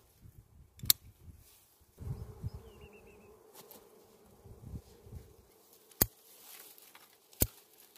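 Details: Wild bees disturbed during a honey harvest give a steady, low humming buzz that starts about two seconds in and carries on to the end, broken by sharp clicks and knocks and low thumps from handling.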